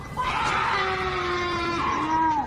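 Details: A cougar gives what is said to be a mating call: a long, shrill, drawn-out scream like a woman shrieking, coupled with a moaning hornlike sound.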